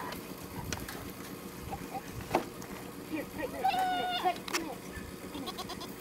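A goat gives a single high, wavering bleat over a busy background of clatter and possible voices.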